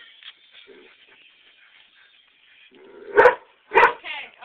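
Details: Greyhound barking on a back porch in reaction to greyhound videos: a faint sustained tone first, then two loud, sharp barks half a second apart and a short yelp.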